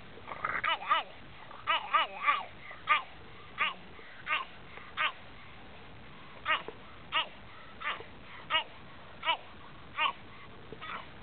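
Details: A French Bulldog barking at elk outdoors: short yappy barks repeated roughly every second, some in quick pairs, over faint background hiss.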